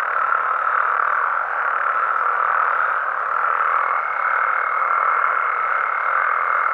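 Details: Dense night chorus of frogs and toads in Mexico, overlapping croaks blending into an even drone, with a thin higher tone appearing in the second half.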